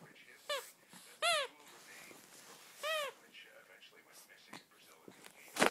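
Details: Pet Japanese Chin, also called Japanese Spaniel, waking up full of energy indoors; three short, arched, whining yips that rise then fall, the first two close together and the third after a gap, with soft rustling and a sharp crackle at the end.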